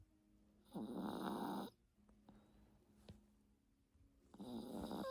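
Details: Teto, a pet Yorkshire Terrier, snoring during a nap. Two rasping, breathy snores about a second long, roughly three and a half seconds apart, with near silence between breaths.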